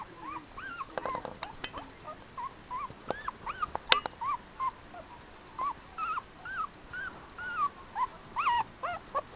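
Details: An 11-day-old Papillon puppy playing with its mother: a string of thin, high whimpering squeaks, each a short rising-then-falling whine, repeated irregularly about once a second, with faint handling rustles and clicks between them.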